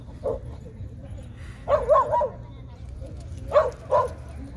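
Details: Small Chihuahua named Jah barking during a nighttime park walk: one short yip, a pause, a rapid run of three barks, then a final pair, over a steady low background rumble.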